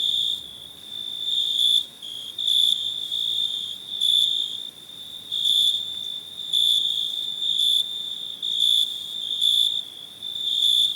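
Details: Cricket chirping steadily, a high, pure ringing trill that swells and fades in bursts of roughly half a second to a second, with brief quieter gaps between; no other clear sounds.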